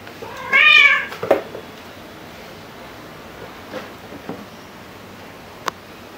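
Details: Luna the black cat or Angel the tabby cat at home: a single clear, rising-and-falling meow near the start, followed by a small chirp, then faint taps and near silence.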